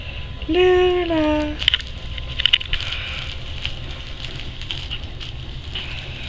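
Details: Seven-and-a-half-week-old wolfdog puppy at play with its mother gives one drawn-out, slightly falling whine with strong harmonics lasting about a second, followed by light tapping and scuffling sounds.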